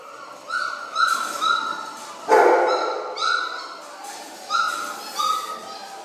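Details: Belgian Malinois puppies aged five weeks feeding on kibble inside a breeding kennel; a series of high, slightly falling yips and whines in short bursts, plus a louder clatter and a person's voice.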